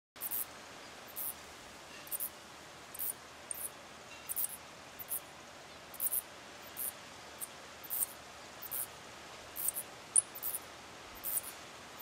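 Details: Pair of Mauritian tomb bats mating while clinging to a tree trunk in daylight; very high, thin squeaks in short bursts repeated roughly every half second to second, over a quiet outdoor background.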